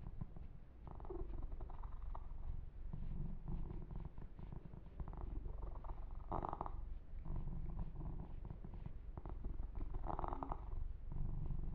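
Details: Pet kitten Yumak purring contentedly through a long massage: a low continuous vibrating rumble with regular pulses, overlaid by periodic brushing and stroking sounds on the fur and light tapping clicks.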